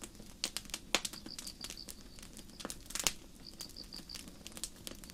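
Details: A cricket gives short trains of high, pulsed chirps over the loud crackle and pop of a campfire in a forest on a starry night.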